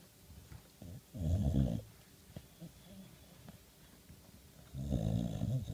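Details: Boxer dog talking in his sleep: two low, rough, groaning bursts about a second long with a quieter grumble between, indoors.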